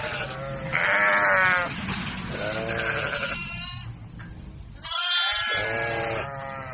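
Young goats bleat in high, wavering, nasal cries that overlap one another in quick succession.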